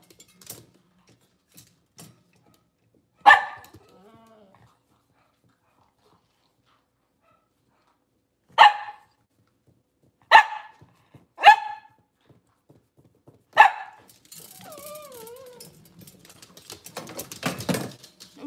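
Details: Cavalier King Charles Spaniel in a kitchen on a cloudy Monday morning, giving five sharp single barks spread over several seconds, followed by brief whining tones and rustling household noise.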